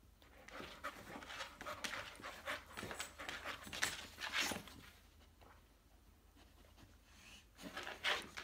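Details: Saint Bernard, fully awake, paddling its legs as if swimming while out of water: quick, breathy panting puffs in irregular bursts, louder near the start and end, in a quiet indoor room.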